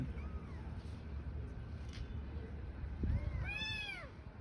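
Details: Street-dwelling newborn kittens with mother cat: a faint arching meow followed by a louder, high, descending meow near the end, over constant low rumbling noise.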